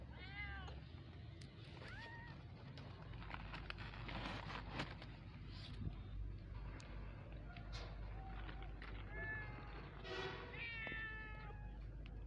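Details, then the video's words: Kittens meowing in short bursts, a few mews near the start and a cluster of rising-falling cries toward the end, with clicks, handling noise and a low rumbling hum between. "Mini cute kittens baby meowing"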